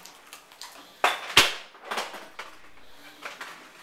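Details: Indoor clatter of dishes and cupboard knocks, with a few sharp impacts and faint speech in a small room.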